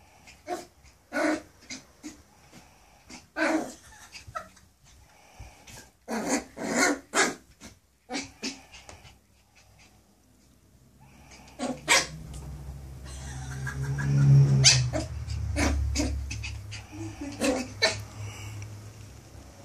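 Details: Toby, a 9-week-old Maltese x poodle puppy seeing himself in the mirror, fires off rapid bursts of high yapping barks for about ten seconds. These give way to a sustained low rumbling growl, with a few yaps at the end.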